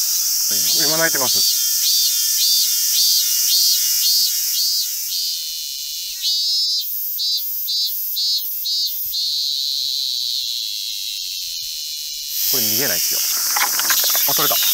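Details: Robust cicada (Minminzemi) calling in Fukuchiyama, Kyoto Prefecture, on 31 July 2022, as insect collectors wait for it to call and then close in to catch it; loud buzzy pulses repeat about twice a second, merging into a sustained drone, voices at both ends.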